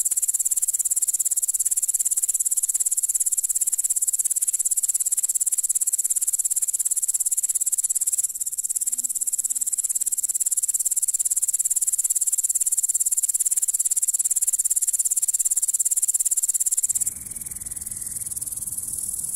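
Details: Continuous shrill insect stridulation from a grasshopper, a bright hissing trill held level, briefly dipping twice and shifting near the end as a low rumble enters.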